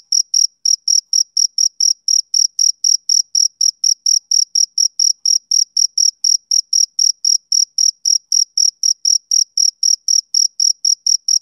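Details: Steady rhythmic chirping of a male cricket, a summer-evening sound: bright, high pulses repeated roughly four per second in an even train over silence, nothing else audible.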